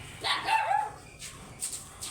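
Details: Golden Retriever, an oversized dog brought for stud service in Laoac, Pangasinan, lets out a single wavering whine lasting about half a second, followed by faint clicks and rustling.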